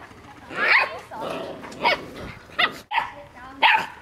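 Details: Australian Shepherd puppies, six weeks old, out in the wider world for the first time: a few sharp high yips and squeaky barks in irregular bursts, mixed with people speaking nearby.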